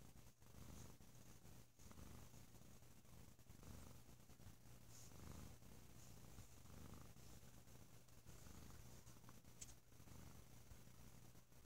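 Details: Bo, a sleepy house cat on a lazy holiday weekend, purrs loudly and deeply; a continuous low rumble rises and falls with each breath, steady throughout with faint room hiss.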